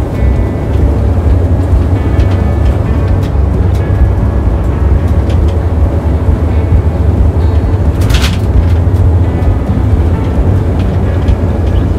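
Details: Heavy low engine-like rumble fills the recording with faint music beneath, broken by one brief broadband burst near the eighth second, and no animal voice.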